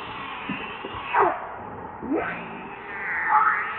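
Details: Baby monkey named Leo (Rainbow), hungry and begging its mother for milk: a few loud arched wailing cries rising and falling, about one per second, over a steady low background hum.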